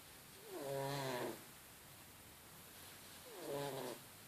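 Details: Sleeping cat snoring: two drawn-out, harmonic, rasping breaths about three seconds apart, each swelling and fading over under a second, over quiet room hiss.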